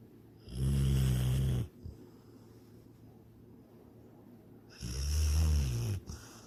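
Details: Dreaming pet dog Sydney, asleep indoors, gives two deep, rumbling snores about four seconds apart, each lasting just over a second, with quiet pauses between; she is chasing a rabbit in her dreams.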